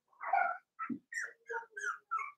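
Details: Four-week-old Cavalier King Charles Spaniel puppies in a pen make a run of six short whining whimpers, the first longest and fullest, the rest brief nasal squeals at an even pace in a quiet room.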